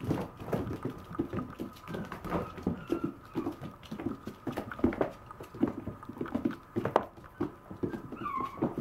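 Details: Puppy indoors, making soft, low whimpers and snuffles amid frequent thumps and scuffling, with a brief thin whine rising near the end.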